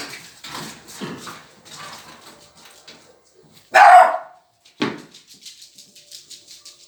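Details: Dog at a dog playground: soft scuffling and low whines at first, then one loud, abrupt bark followed a second later by a shorter, sharper second bark, with light tapping noises between.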